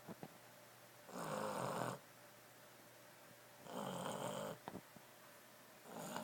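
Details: Boston Terrier asleep, snoring in long rasping breaths that each last close to a second, repeated roughly every two and a half seconds in a quiet room.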